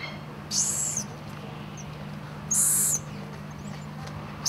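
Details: Golden lion tamarins, two babies clinging to their mother: two shrill, very high-pitched squeals about two seconds apart, with faint brief chirps between them, over a constant low electrical-sounding hum.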